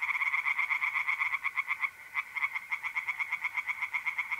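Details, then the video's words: Night chorus of tree frogs in a north-east Italian pond, mid-April: loud, rapid rattling croaks at about four per second, a brief lull near the middle, then the dense pulsing resumes, with mole crickets trilling faintly beneath. "relaxing singing tree frogs in pond and trilling mole crickets by night"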